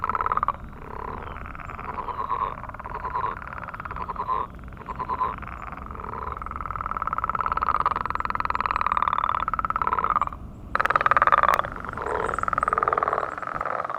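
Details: A morning chorus of many frogs at a millrace gives steady, rapid, pulsing croaks, their mating call rolling on without pause; these frogs are in decline.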